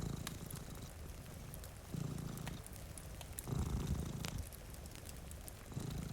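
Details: Sleeping domestic cat, one of two resting by a rainy window near a fireplace, purring. A low, throbbing rumble rises in distinct breath-long bursts, interspersed with crisp crackling from the fire.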